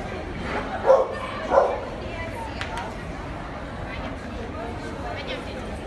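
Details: Dogo Argentino barking twice in quick succession near the start, then a stretch of low background noise with faint rustling.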